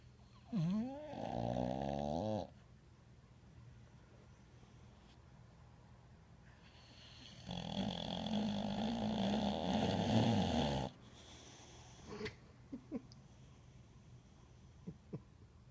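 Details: Pet dog asleep indoors, two long snores several seconds apart, each a rough, buzzing rattle with whistly rising overtones, separated by quiet breathing and a few small clicks.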